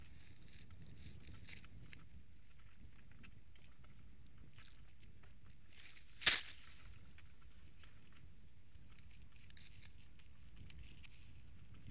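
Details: Steady low wind rumble with a single sharp knock or click midway, and no animal voice.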